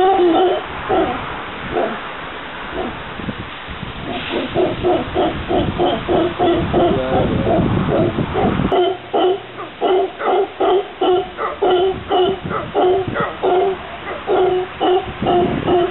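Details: Group of howler monkeys visiting a garden in Santa Cruz, Costa Rica: hoarse, rhythmic guttural pulses repeated rapidly, muddied by rumbling noise early on, then clearer and more regular in the second half.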